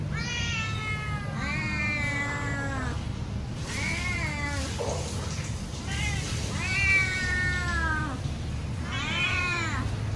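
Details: Hungry house cat calling out loudly as it waits for food: a series of drawn-out, slightly falling meows spaced a second or two apart, one cut short and breathy, over a low steady hum.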